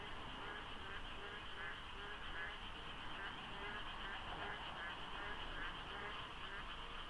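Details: Frogs filling the darkness at dawn during the monsoon rains beside the Deokso IC expressway interchange, light fog, sparse traffic; a dense, overlapping croaking chorus, their number hard to judge, over a steady low rumble.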